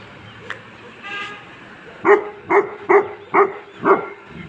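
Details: Tibetan Mastiffs, a sable and a red dog of a high-altitude guarding breed used to protect home and livestock, giving five deep, booming barks about every half second after a quiet start with faint background noise.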